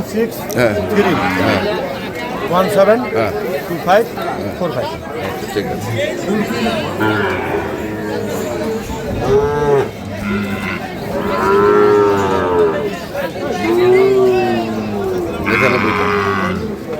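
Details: Sahiwal bull calves at Ambari livestock market in Parbatipur, Dinajpur, Bangladesh, on 5 May 2025, where cattle are bought and sold. Several drawn-out, rising-then-falling moos come through amid steady crowd chatter and bargaining voices.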